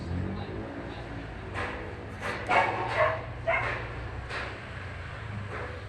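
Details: Dog barking several times in a loose series of short, rough barks spaced about half a second to a second apart, over a low background hum.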